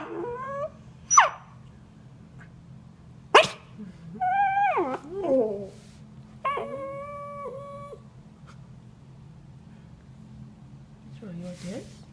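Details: Corgi puppy, frustrated when a toy is hidden from her, making so-called dinosaur noises: scattered harmonic whines and yips, some wavering and sliding down, others held flat for about a second, with two sharp broadband yelps between quiet gaps.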